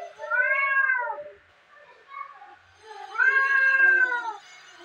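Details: Two domestic cats fight at home, trading long, wavering yowls as they square off.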